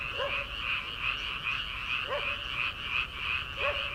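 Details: Frogs in paddy fields in early summer, before rice transplanting. Three distinct, springy lower croaks sound about every two seconds against a continuous high, buzzing chorus of many callers.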